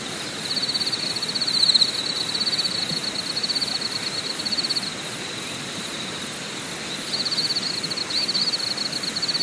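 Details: Insects calling at a mountain campsite, Deokyudae in Deogyusan National Park, Korea: long sustained high buzzing trills lasting several seconds, broken by brief pauses, with a faint rapid ticking pulse far above and a constant hissing background.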